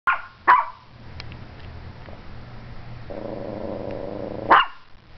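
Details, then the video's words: Strudel, a Morkie dog, barking wildly at the camera: two sharp barks near the start and one at the end, with a low humming background and a steady droning tone between them. "Strudel (Morkie) Barking Like Crazy at my Camera"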